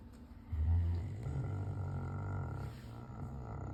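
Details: Low, throaty snoring from a South African Mastiff, a steady grumbling rumble that swells early on and then carries on more softly.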